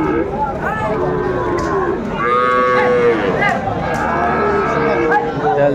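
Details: Sahiwal bull calves at a busy livestock market, 20 April 2024. A short rising moo near the middle sits among other brief bovine calls, with traders' voices calling out bids.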